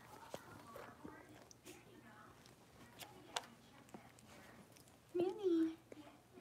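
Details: Blenheim Cavalier King Charles Spaniel puppies, a litter of five born on New Year's, playing in an indoor puppy pen; one short, loud, tonal yelp that rises then falls near the end, with soft rustling and faint voices before it.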